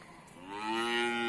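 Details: Short, steady moo from cattle at Bumiayu's animal market in Indonesia, swelling in from quiet into a clear, tonal bellow that holds its pitch to the end.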